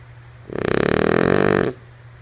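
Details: Female French Bulldog asleep, giving a single drawn-out snore of just over a second, a rough, rattling, pulsed rumble that swells quickly and cuts off, over a low constant background hum.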